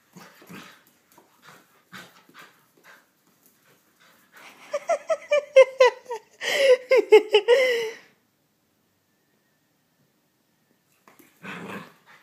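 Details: Playful puppy indoors, soft scattered sniffs and snuffles, then a burst of high harmonic whines and yelping yips, short and quickly repeated, rising and falling over a few seconds, followed by quiet and a final brief huff.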